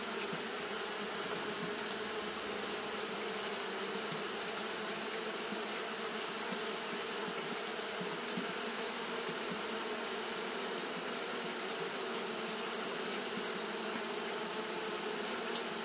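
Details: A constant buzzing hum of Japanese honey bees fanning through a hot day, level and unbroken from start to finish, overlaid with a steady high-pitched hiss.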